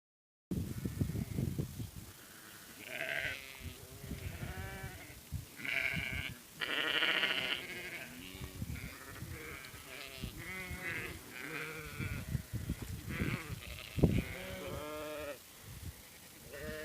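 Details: A flock of sheep bleating, many overlapping quavering calls of varied pitch, some wavering and nasal, others short and low, following one another almost continuously with faint rustling between.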